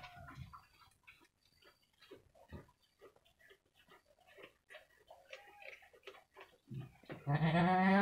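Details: Two female goat kids about one week old, a cross of Jawa Randu kacang and Jawa Randu super goats, playing in their pen: soft tapping and shuffling of hooves, then one loud, nasal, harmonic bleat near the end.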